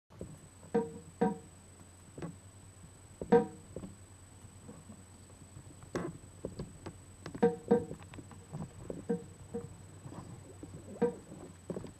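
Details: Plucked guitar notes played in a small room, with no animal sounds.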